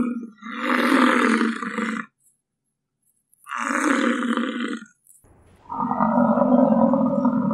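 A bison gives three deep, rough, roaring grunts, each about two seconds long with short pauses between; the last one is more droning.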